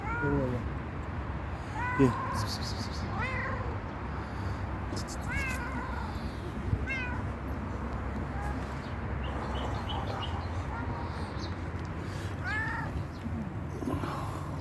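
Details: Stray cat meowing for food and care: a string of rising-falling meows, about eight in all, some quick and close together, with a person talking softly and a couple of sharp knocks in the background.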